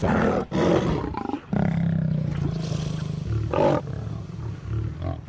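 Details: Lion roaring while intimidating a crocodile: deep, rough, sustained low roars with brief breaks between bursts, loud and continuous throughout.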